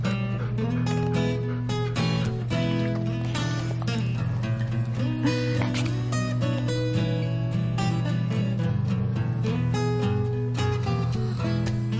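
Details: Strummed acoustic guitar music plays throughout over a low steady hum, with no animal sounds.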